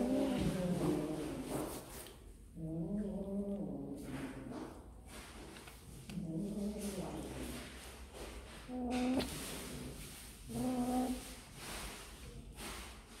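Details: Several softer, lower meows from kittens busy eating snacks, short wavering cries spaced a few seconds apart over a faint steady background hum.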